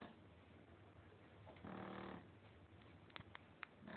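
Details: Lolita, a Shar Pei, snoring as she sleeps: a single raspy, rumbling snore lasting about half a second midway, with faint clicks and small knocks afterward against a low steady background hum.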